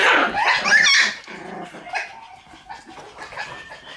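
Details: Red Shiba Inu female puppy, born August 24, giving a quick burst of high, squeaky yips in the first second, then only faint, scattered soft sounds for the rest.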